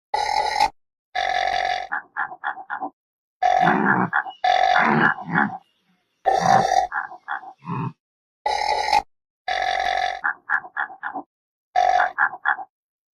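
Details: Repeated harsh antelope grunts, long buzzy bursts each trailed by a quick series of three to five short grunts, the pattern recurring about five times with silences between.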